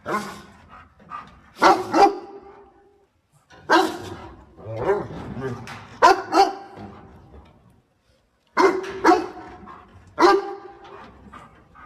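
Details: Dog helping its owner pick water spinach, barking in loud bursts: short clusters of two or three sharp barks separated by pauses of a second or more, with softer barks in between.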